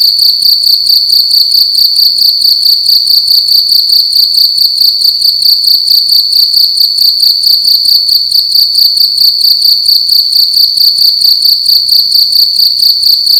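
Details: Loud nighttime cricket calling indoors in a room, an unbroken high-pitched trill made of quick, even pulses repeating roughly twice a second throughout.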